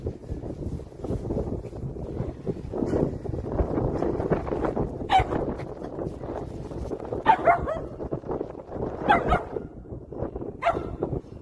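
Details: Poodle named Dongbaek, an RC-car-chasing dog showing its hunting instinct, gives a handful of short, sharp barks and yips spread over about eleven seconds, heard above a steady rumbling, wind-like background noise.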